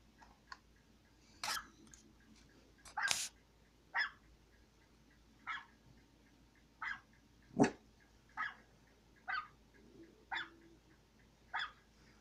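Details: A dog barks repeatedly, short sharp broadband barks spaced about one second apart, a couple of louder ones early on, over a quiet background hum.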